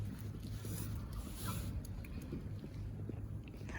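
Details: Low, quiet rumble of wind or a passing vehicle outdoors, with faint scattered ticks and no animal sounds.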